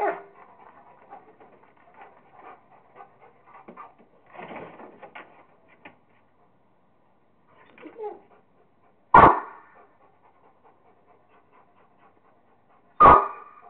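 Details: Kingston the Rottweiler at play with a squirrel. Quiet rustling and faint sounds, then two single loud barks spaced roughly four seconds apart, with silence between them.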